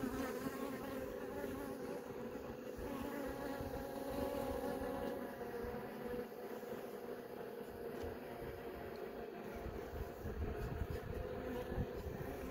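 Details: Honey bees buzzing in an opened hive as several young bees emerge from brood cells; a soft, constant droning hum with harmonic bands holding steady throughout.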